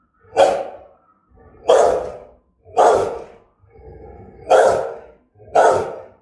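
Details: Rottweiler of German type, kept in Vietnam, barking with menace: six forceful, deep barks roughly one second apart, a low rumbling sound between the fourth and fifth.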